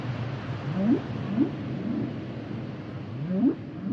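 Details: Humpback whale song unit: short low whoops sweeping upward, repeated about every half second in pairs, over a continuous underwater rumble.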